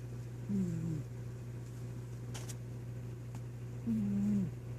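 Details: Domestic cat passed out asleep and snoring: two drawn-out, low, buzzy breaths about three seconds apart over a steady electrical hum indoors.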